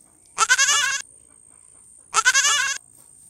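A goat gives two wavering, nasal bleats, each about half a second long, with a pause between.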